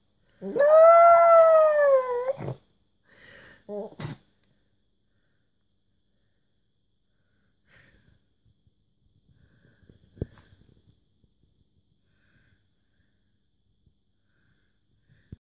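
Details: Pet dog howling along to a television advert indoors; one long, wavering, tonal howl lasting about two seconds, followed by a brief fainter whine, then near silence broken by a few soft knocks.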